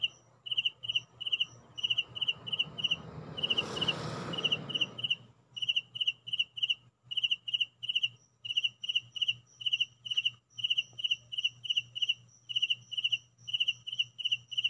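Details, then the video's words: A cricket indoors at home chirps steadily in short, high, pulsed bursts repeated several times a second. "Real crickets sound at home"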